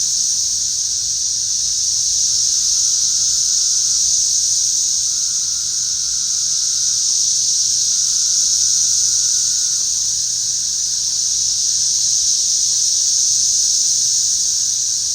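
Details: A swarm of cicadas flying among trees and over potato plants gives an unbroken, loud, sizzling high drone that swells slightly and fades back over fifteen seconds, with no other sounds.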